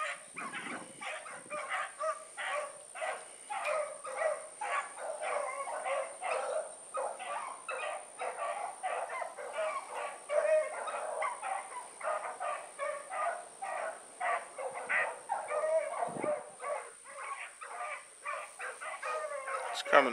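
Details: Evening run of a four-dog pack, heard as continuous overlapping barks and bays, rapid and steady for the whole stretch, with brief low thumps and a steady high electronic whine.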